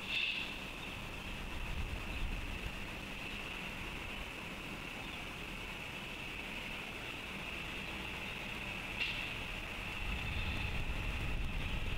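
Steady background hum with a constant high-pitched tone and low rumble, like distant traffic or machinery; no animal calls stand out.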